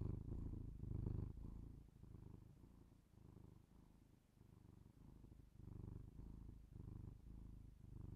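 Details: Pet cat purring, captured with binaural microphones for ASMR; low vibrating rumble in rhythmic breath cycles, louder at first, quieter in the middle, then rising again, with no other clear sounds.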